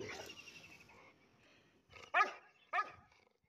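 A Rottweiler gives two deep, harsh barks about half a second apart.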